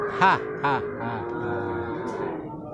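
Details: Young male water buffalo at the Purwakarta animal market, Indonesia, on 19 February: a long, steady, nasal harmonic bawl that holds one pitch for over two seconds, with a man's voice speaking over its start.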